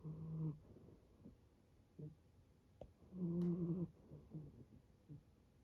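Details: Young male brown tabby-and-white rescue kitten snoring like an old man, low rasping breaths with a longer rumbling snore near the middle and softer short snorts between.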